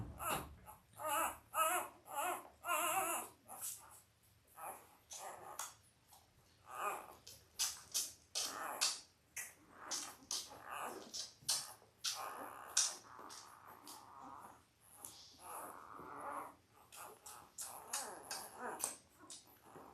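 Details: Newborn Labrador Retriever litter, five boys and three girls, five days old. It opens with a quick series of high, wavering squeals, then irregular whimpers mixed with rustling and handling noises.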